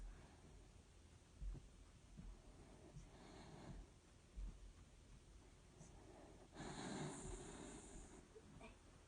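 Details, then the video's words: Sleeping dachshund snoring, with wheezy, hissing breaths: a softer rasp near three seconds, then a longer airy, whistling exhalation lasting about two seconds, plus faint snorts and low thumps in a quiet room. "Dachshund snoring"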